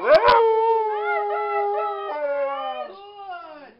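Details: Siberian Husky howling in a vigil for the Whistler 100: a long sustained tone that slides downward, with rich harmonics and wavering pitch bends, preceded by a short sharp yelp.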